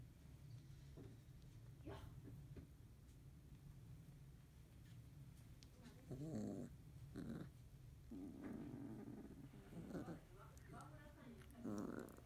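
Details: Field-type Labrador Retriever puppies, 31 days old, in the morning, a yellow female buried among littermates and stepped on by a sibling; soft grunts and short whines come in scattered bursts, mostly in the second half, over low indoor rumble.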